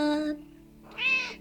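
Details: Domestic cat meowing along as its owner sings a Finnish song at home; a sustained sung note fades, then a loud bright meow rises and falls near the end.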